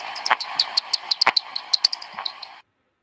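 Bat echolocation calls come as quick, high-pitched squeaks and ticks, several per second in an uneven stream. They are emitted in flight to navigate by echo, and stop abruptly after a couple of seconds.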